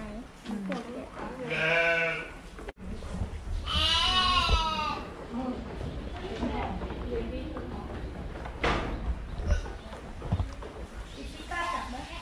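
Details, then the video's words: Fluffy-fleeced sheep bleating: two long wavering, nasal bleats with a shaky tremolo, the second louder and higher. Quieter murmuring and scattered rustling noises fill the gaps between calls. "เสียงแกะ แกะขนฟูน่ารัก sheep"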